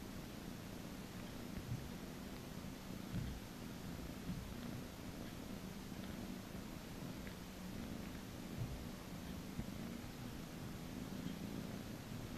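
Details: Purring from a domestic cat receiving a massage at a cattery, a continuous low droning rumble with gentle pulsing, quiet throughout, and light rustles of handling in the background.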